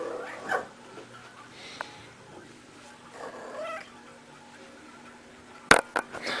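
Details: Playful female pet cat rolling around indoors, giving short soft chirping vocalizations near the start, then a loud knocking clatter near the end.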